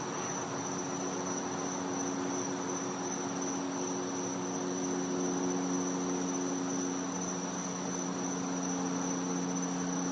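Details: Cicadas calling at night in winter in a Florida home's back yard: one continuous, steady, high-pitched whine that never breaks, over a broad background hiss and a faint low hum.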